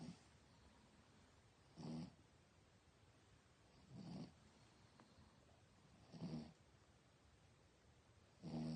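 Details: Loud snoring from a dog asleep at night, four rough, swelling snorts spaced about two seconds apart over steady low hiss.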